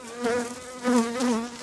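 A honey bee's close, droning buzz that swells and wavers in pitch as it circles nearby.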